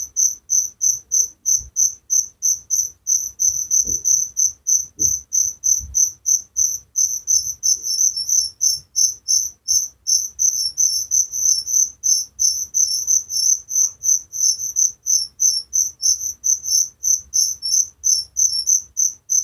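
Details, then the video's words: Relaxing night chorus of crickets, piercing high chirps beating about three times a second, a second chirping insect interleaving partway through, with only faint soft knocks underneath. "Suara Jangkrik penghantar tidur || Relaxing sound of crickers"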